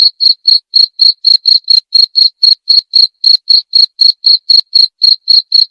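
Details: Continuous cricket chirping meant to repel rats and soothe listeners to sleep; bright, high, evenly spaced chirps around four each second, strong and unbroken over a silent background.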